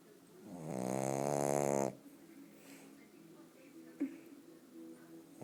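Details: Pug named Bóris, asleep, giving one long, loud, rasping snore lasting just over a second, followed by quiet breathing and a soft click.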